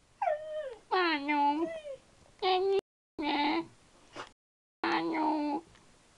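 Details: Dog vocalizing to its owner as if chatting. It gives a series of short, tonal, yodeling whines and moans that bend up and down in pitch, broken by brief silences.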